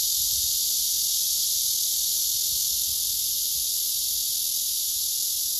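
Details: Unbroken high, sizzling drone from a male blackish cicada courting a female who shows no reaction; the level stays even throughout.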